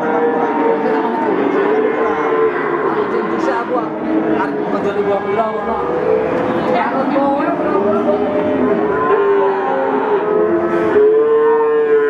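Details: Young Peranakan Ongole (PO) bulls at Pasar Pon livestock market in Ambarawa, Central Java, Indonesia: several mid-pitched, harmonic moos overlap almost continuously, some long and level, others wavering, over steady market background noise.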